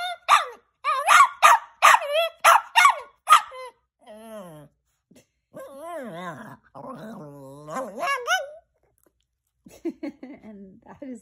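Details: Chihuahua named Rocco gives a quick run of shrill barks, then shifts into drawn-out wavering whines and yodel-like moans that rise and fall, ending with a few softer broken yips.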